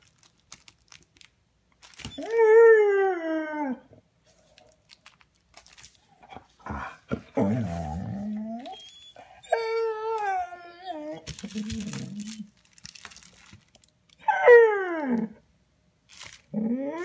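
A Vizsla gives long, tonal whines that bend up and slide down, broken by lower grumbling moans. The whining expresses frustration and a wish for a toy.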